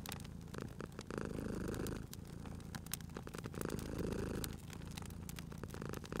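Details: Purring cat dozing beside a fireplace: deep, even rumble with two clear breath swells, each lasting about a second, set against busy snapping and crackling of burning wood.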